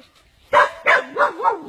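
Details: A dog in the coils of a giant snake gives two quick barks, then a wavering, sliding whine that rises and falls. The whole cry lasts under two seconds.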